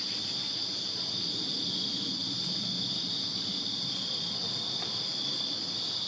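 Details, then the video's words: Backyard chorus of crickets on a Virginia summer night: a continuous shrill, pulsing buzz that never pauses, steady in loudness, with a low murmur of background noise underneath. "Crickets Chirping Summer Night in Virginia"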